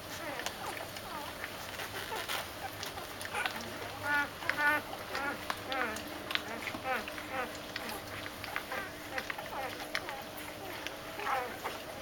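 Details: Doberman puppies woken for feeding give quick, squeaky rising and falling whines and yelps in overlapping bursts, with a person talking over them throughout.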